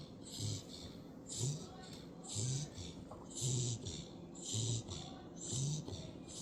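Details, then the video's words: Sleeping puppy Hazel, a female dog, snores like an old man: regular rumbling snores roughly once a second, each a low growly rasp paired with a breathy hiss, rising and falling in a steady rhythm. "Hazel snoring like an old man"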